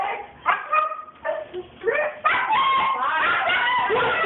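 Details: Female Siberian Husky in a frenzy: a few spaced yelps and whines, then a continuous, loud, wavering howl-like cry that sweeps up and down.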